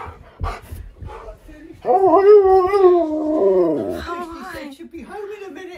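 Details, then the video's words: Husky crying with joy on realising its owner is almost home, recorded indoors on hidden camera: a wavering, harmonic howl that bends up and down for about two seconds, then softer whines, with people talking throughout. "Husky CRIES With JOY When He Realises I’m Almost Home!"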